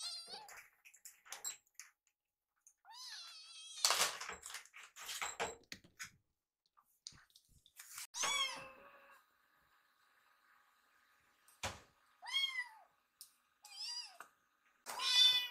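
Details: Two rescued foster kittens, Piyo and Yuki, lined up politely indoors waiting for food after smelling it in the kitchen. Short high mews come in scattered bursts, mixed with clicks, knocks and a faint steady hum.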